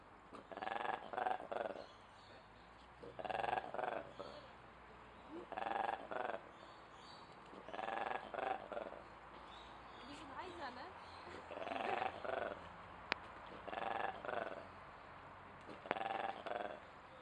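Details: Ape at Duisburg Zoo making weird noises: loud harmonic hooting bursts, each about a second long, repeated roughly every two seconds with quieter pauses between, over steady background hum.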